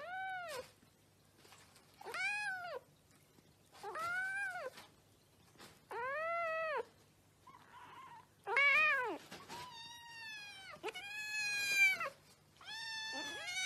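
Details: Pet cat meowing over and over, each meow an arched, rising-then-falling cry about every two seconds, later calls coming faster and more drawn out and overlapping toward the end, in a quiet indoor setting.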